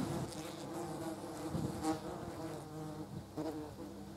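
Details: German wasps at a jar of jam; a wavering low buzz of beating wings with harmonic bands, pulsing louder and softer as the insects shift around.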